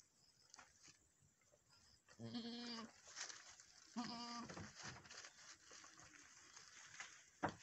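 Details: Goats of the Boer breed at a Nepali farm, where a doe kidded for the first time and bore a male kid; two nasal bleats a couple of seconds apart over steady background hiss and human voices.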